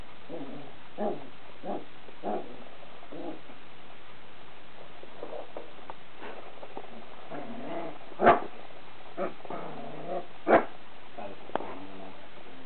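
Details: Corgi puppy barking at a printer cord in one of its first barking bouts: soft grumbling whines and low huffs lead into two sharp, louder barks near the end.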